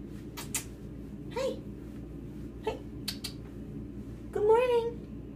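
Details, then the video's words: Talkative Siamese cat indoors answering a person's morning greeting. It gives two brief, soft meows, then a longer, louder, wavering meow at the end. Human speech and sharp clicks are heard in a small room. "Talkative Siamese"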